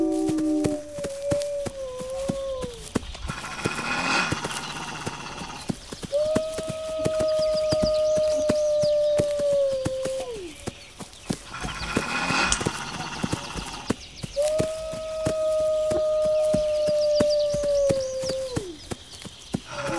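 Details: Wolves howling in long, steady, level tones, several overlapping voices, each howl holding several seconds and ending with a slight downward bend, separated by pauses with rough mid-range noise; sharp clicking taps run throughout.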